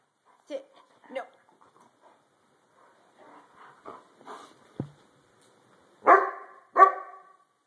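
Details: Freshly shampooed White German Shepherd Dog resisting brushing; a man's scolding voice comes first, then two loud, harsh barks close together at the end.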